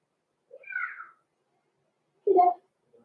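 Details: Six-week-old blenheim Cavalier King Charles Spaniel puppies, born November 14, 2022, in an indoor home puppy pen. Two short separate yelps: a high, falling, whiny cry, then a lower, squeakier yelp, with a quiet room around them.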